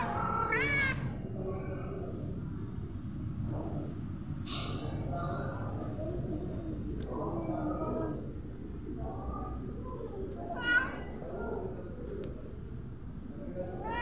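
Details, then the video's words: Hungry domestic cat meowing for food: several rising, harmonic meows, one strong wavering call near the start and more through the middle, over steady low background hum and some human speech. "Hungry cat settle for bread"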